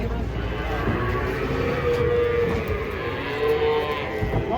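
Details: Large cattle being unloaded from a truck give a drawn-out, mid-pitched moo, partly masked by a steady rumbling background and scattered people's voices.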